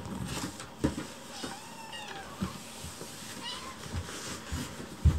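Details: Hungry rescued kittens crowd around their keeper indoors while food is prepared, pressing for their meal; faint high thin mews rise and fall through the room amid soft clatter and handling noise.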